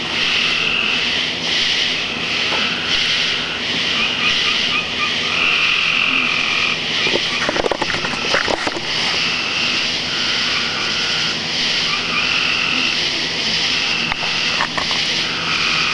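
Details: Frogs calling with crickets in a yard on a summer night, around 2008, the whole chorus going wild. Dense, steady trilling fills the night, with repeated pulsed bursts riding over it and a brief loud rustling disturbance near the middle.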